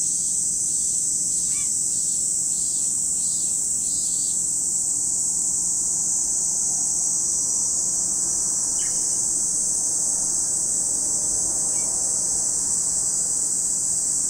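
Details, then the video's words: Cicadas at Lake Kamo in Sado City, Niigata, Japan: a constant shrill whine at high pitch, with a short run of pulsing notes early on and scattered short bird calls. "Lake Kamo in Sado City, Niigata Prefecture, Japan, where you can hear the voice of cicadas."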